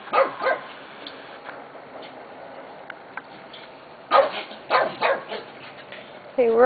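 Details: Corgi puppies of the Classey/Charlie litter, about four weeks old, playing on a slide on 11/22/11; sharp short yips and barks in bursts, ending in a rising, tonal whine, with people talking throughout.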